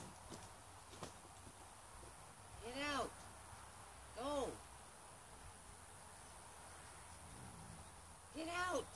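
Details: Wild gray fox trapped in a small cage in Oregon, USA, giving three arched, harmonic whining calls that rise then fall, spaced a few seconds apart, over a steady high hiss and low rumble.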